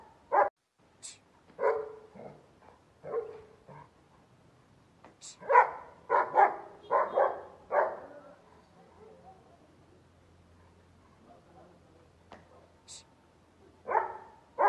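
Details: Harsh, mid-pitched barking from a Bull Terrier. Single barks come at uneven intervals, then a tight cluster of four or five around the middle. A quieter stretch follows before two more loud barks close the sequence; occasional high clicks are heard.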